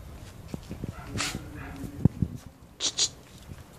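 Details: Brown toy poodles, a male and a female, give a few short high yips and faint whimpers amid clicks, handling noise and a brief soft voice.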